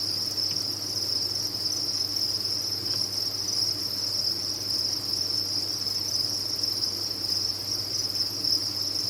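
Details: Many crickets kept on a cricket farm, chirping together in a dense, steady high-pitched chorus that merges into one continuous shimmering trill with no breaks, under a faint low hum.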